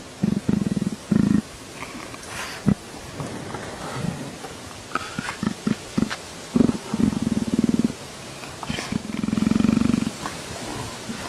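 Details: Leopard purring, described as sounding like a motorcycle. Short, deep, throbbing bursts of purr come and go between pauses and soft clicks and rustles.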